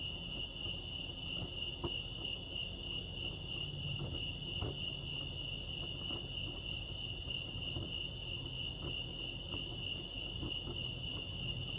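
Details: Nighttime-style cricket chirping recorded at Lake Arrowhead, California: a constant high pulsed trill, accompanied by scattered light clicks and a low ambient hum.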